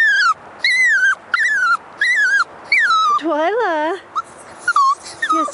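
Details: Female toy poodle puppy about six months old 'singing' while out on a walk, not fond of walks: a run of high wavering whines, each sliding down, repeated about once a second, then a lower quavering howl, a woman's voice faintly mixed in.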